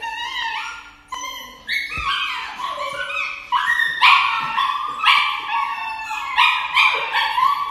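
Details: On the way to an injection, a dog cries continuously: rising and falling yelping howls and yips, bright and harmonic, in overlapping waves that grow louder toward the end.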